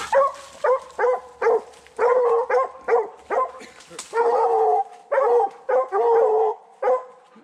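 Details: Young Redbone Coonhounds on a 2020 coon hunt, male Hades in his second season and female Copeland's Redhot Maple in her first: a run of loud, mid-pitched barks with a few drawn-out bawls, about two per second, with short gaps between.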